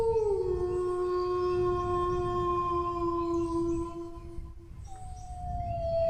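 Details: Drawn-out dog howl that starts with a brief upward swoop, settles into a steady tone for about four seconds, breaks off, then resumes on a higher, gently falling pitch. A constant low rumble sits underneath.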